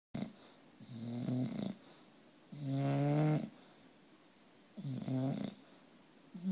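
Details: Bulldog snoring indoors: three separate low rumbling snores about two seconds apart, each a harmonic buzzy breath with the strongest energy low down, quiet room between them.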